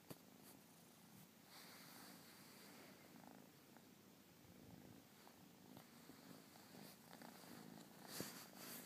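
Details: Persian kitten purring indoors; a soft, steady low rumble with faint rhythmic pulses, quiet throughout, with a few small clicks and rustles near the end.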